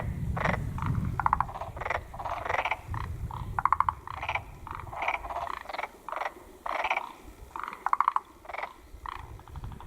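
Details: Black-spotted pond frog croaking: bursts of rattling, pulsed notes at irregular intervals, some sharper clicky trills standing out, with low rumbling noise early on.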